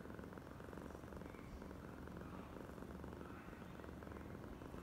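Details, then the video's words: Steady, even purring from Oyen, a female pet cat acting extra affectionate; a low vibrating rumble with rapid regular pulses and no breaks, over a quiet hiss. "Kucing (Oyen gegirl) terlebih manja"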